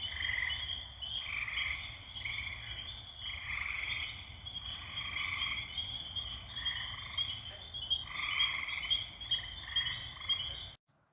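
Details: Night-time frog chorus near a pond: tree frogs singing from high in the trees give dense, overlapping, pulsed brrr trills rising and falling in waves, with spring peepers also calling.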